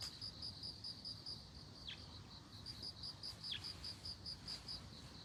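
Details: A ringing, high, evenly pulsed bell cricket song near globe amaranth, the rapid notes pausing briefly after the first second before resuming steadily, with two faint falling chirps over a low, hushed background.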